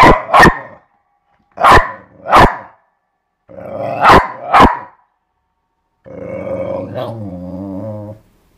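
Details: Playing with a skateboard, the dog Eva barks in three paired bursts, each pair quick and forceful, then gives a sustained, wavering, growl-like vocalization lasting about two seconds.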